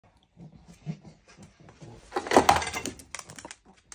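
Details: Indoors, a pug barks at apparently nothing, which has gone on for about an hour; he rejects offered treats. Low, snuffly grumbles build into a short, harsh bark.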